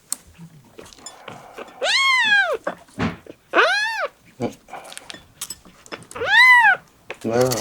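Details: Miel, a young male red tabby-and-white domestic cat, indoors, gives three loud, clear meows spaced a few seconds apart, each rising then falling, while a person talks softly in Japanese between them.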